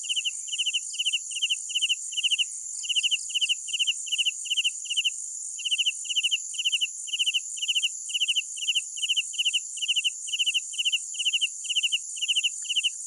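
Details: Crickets at night give rapid trilled chirps, each a quick cluster of pulses, repeated in an even rhythm with brief pauses, backed by a constant high-pitched buzzing chorus of more insects.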